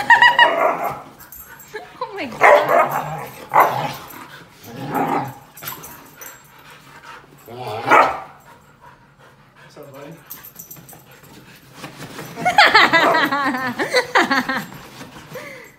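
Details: Two Siberian Huskies, Dante and Antaeus, fighting over a new bed; repeated loud, wavering, harsh vocal bursts with rising and falling yodel-like pitch, ending in a long warbling howl, mixed with human speech.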